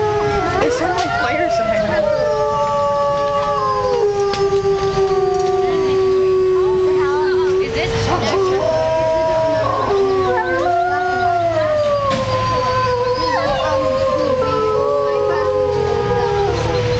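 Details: Wolves at Como Zoo, Minnesota, howling together in a chorus: several long, drawn-out tonal voices overlap, sliding and stepping between pitches for the whole stretch, some rising and others falling.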